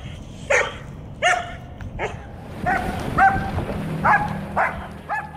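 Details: Reactive female German Shepherd with aggression issues, lunging and pulling toward dogs, cars and other triggers, letting out a series of sharp high-pitched barks and yelps, about eight in five seconds, over background rumble and noise.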